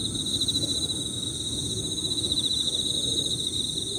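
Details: Emma field crickets trilling high and rapidly in overlapping pirririri phrases, the pulses clearly beating against each other, backed by thin high insect whine and low outdoor rumble.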